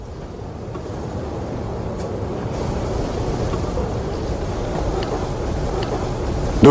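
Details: Steady low rumble of vehicle or engine noise with a few faint clicks, and no animal voice.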